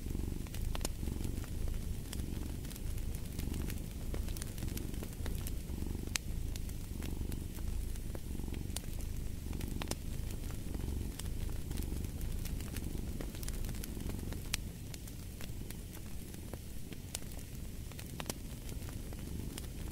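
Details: Deep rumbling purr from a cat, steady and throbbing in regular breath cycles, with scattered crackles and pops from a fireplace fire throughout.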